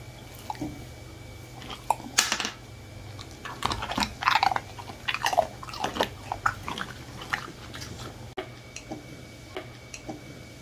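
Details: A one-year-old Miniature Bull Terrier crunches and chews crispy dried fruit in loud, irregular bursts.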